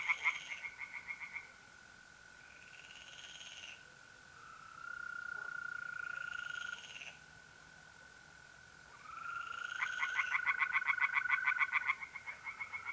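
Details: Night pond chorus in mid-April, north-east Italy: short bursts of quick rasping tree frog pulses alternate with the continuous steady trilling of mole crickets, ending in a loud fast run of croaks.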